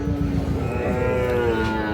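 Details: Sahiwal cattle at the Ambari cattle market in Parbatipur, Dinajpur, Bangladesh, where Sahiwal calves are traded; one steady, drawn-out low moo with rich harmonics fills the whole moment, with faint market bustle underneath.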